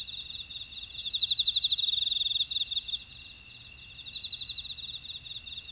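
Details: Grass insects in a buckwheat field at Ora-dong, Jeju City, on Jeju Island, South Korea: a steady high shimmering chorus with overlapping bands, and one caller's quick pulsed trill swelling in the middle before easing back into the constant hum.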